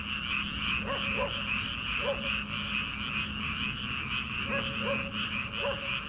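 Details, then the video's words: Frogs calling from rice paddies in early summer before rice planting, at night: short rising croaks repeated irregularly over a dense, steady chorus of many frogs, with a continuous high trill layered throughout. "초 여름 개구리 울음소리/ 논에서 들리는 개구리 소리"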